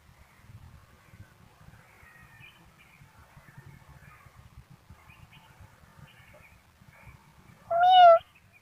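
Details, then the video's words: A kitten gives a single short, bright meow near the end after several seconds of quiet, with soft low handling noises and faint background sounds before it. "Kitten funny sounds## voices of cats##"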